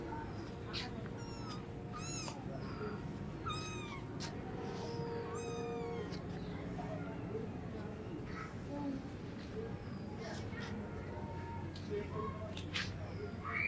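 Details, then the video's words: Hungry cats and kittens meowing for food; a run of short, rising-falling harmonic meows packed into the first six seconds, then sparser faint cries, over low background rumble and a steady high hiss. "Funny cats and kittens meowing for foods |Hungry cats meowing compilation"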